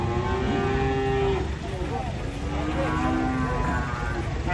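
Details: Cattle coming off a truck in a cramped space at Pasar Pon market. Sustained tonal lowing in two stretches, one early and one later, over a low vehicle drone, with people talking nearby.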